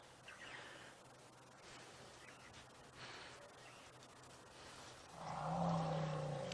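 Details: A young African bush elephant bull gives a deep, drawn-out rumble at sunset in Sabi Sand, swelling low and steady near the end, likely challenging another elephant at a drinking spot while the herd rumbles too.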